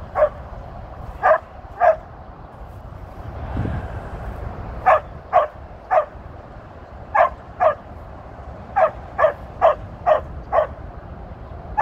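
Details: Tir, a 13-year-old female Border Collie working sheep on her birthday, 23 February 2023, barks about nineteen times in quick clusters of two to five, with a brief broadband noise near the middle and low background rumble.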